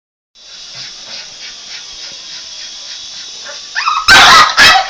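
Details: A Boston Terrier gives two sharp, loud barks at a helicopter after a long stretch of steady mechanical whirring from it, as if attacking it.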